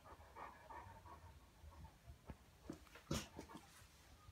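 A Cane Corso pants heavily and gives soft, low whines, with a few sharp knocks nearby.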